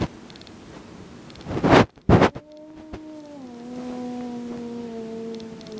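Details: Two loud rustling bursts give way to a steady, low yowl from Jack, a domestic cat who will not tolerate Boots in his favorite room. The yowl holds its tone and sinks a little near the end.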